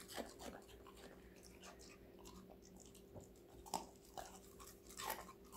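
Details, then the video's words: Connie, a five-month-old female Golden Retriever, crunches through assorted vegetables indoors, with sharp, irregular crisp bites and snaps clustered in bursts about a second apart over a faint steady electrical hum. "강아지 각종야채 먹방 l 사각사각사운드 🌿Various vegetavles🌿REAL SOUND"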